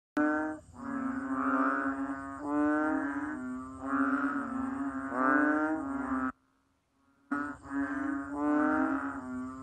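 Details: Banded bullfrog giving deep, nasal, mooing calls that follow one another almost without pause in drawn-out harmonic bursts. Sound drops out briefly near the six-second mark, then the droning resumes at the same pitch.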